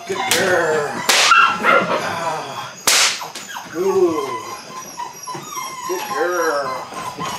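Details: Belgian Malinois puppies at eight weeks, Android Whiteline Czech x Mason's AnnieLou litter, starting bite work: short curved whimpers, each bending up then down, recur among sharp bursts of handling noise and background speech.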